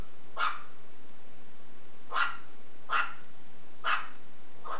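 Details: Shih Tzu puppy playing with a belt, giving short sharp yappy barks, four evenly spaced about one second apart after an opening yip, over a steady hiss of background noise.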